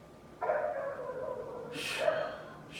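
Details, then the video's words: Neighbour's dog heard from next door, making a drawn-out tonal whine that slides slightly downward for over a second, then a shorter second whine as a man's voice breaks in over it. "Neighbor's annoying dog noise"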